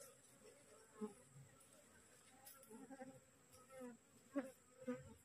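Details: Aggressive honey bees from a newly divided wild colony resting on cassava; brief droning buzzes come and go roughly twice a second, a few louder passes near the end, with a steady faint high whine.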